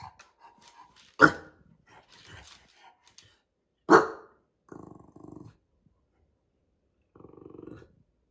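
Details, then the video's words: Ignored bulldog giving two loud, sharp barks about three seconds apart, then two short grumbling, growly vocal bursts, with faint soft noises between. "Ignoring a Bulldog… barks and backlash"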